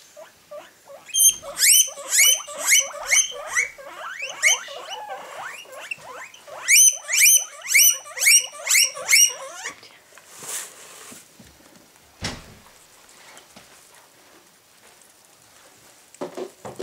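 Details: Three pet guinea pigs, excited about tasty grass, squeal in quick series of high, piping, upward-sweeping notes about twice a second, then fall quiet amid soft rustling and crunching.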